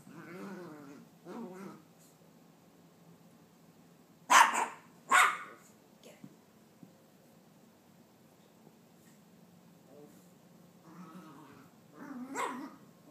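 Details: Young female Maltese, about nine months old, chasing her tail wildly after a bath at home. Soft low grumbling and whines at the start, then two sharp loud barks near the middle and another yappy burst at the end.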